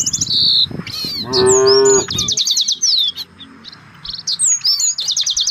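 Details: Village cattle in a herd searching for fresh grass; one drawn-out, deep harmonic moo lasting about a second, with dense high chirping and twittering birdsong before and after it.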